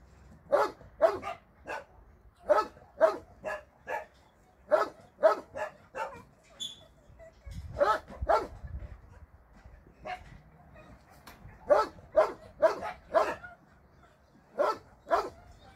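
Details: Shelter dogs barking on a Sunday volunteer visit, sharp broadband barks in irregular bursts of two to four, roughly two per second at peaks, with brief pauses and a low rumble near the middle.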